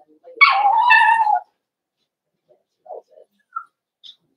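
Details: Whimpering Cavalier King Charles Spaniel puppy, one of a litter in a home puppy pen, during a socialization session with bigger dogs, 12/13/22. One clear, high whine slides down and holds steady for a second, then only faint soft squeaks follow in a quiet room.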